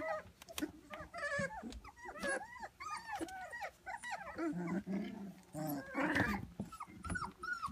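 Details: A litter of white standard poodle puppies, three weeks old, fills the air with overlapping high, arching whines and squeals, many voices calling at once without pause, with a few lower grumbling growls mixed in around the middle.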